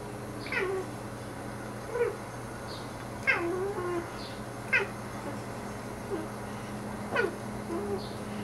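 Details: A house cat called Salomon chatters at birds beyond the window with brief chirps and bent, harmonic meows, roughly one every second or two, against a constant indoor hum.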